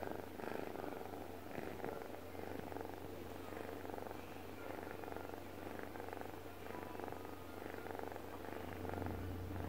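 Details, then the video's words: Deokbae the cat purring in sleep: continuous coarse rumbling that pulses gently with breathing, cycles of swelling and easing, and an unchanging low hum in the background. "덕배의 골골송? 코골이송?"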